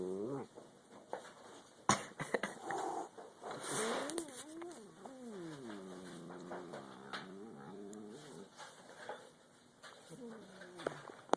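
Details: Angry domestic cat growling while eating: long, undulating low moans rising and falling in pitch, with scattered clicks and chewing sounds in the background.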